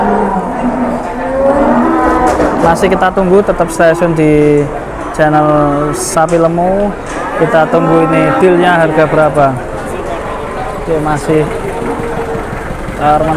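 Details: At Boyolali's Pasar Jelok cattle market in Indonesia, many cows low almost continuously, deep sustained moos overlapping and wavering in pitch, over busy market chatter and clatter.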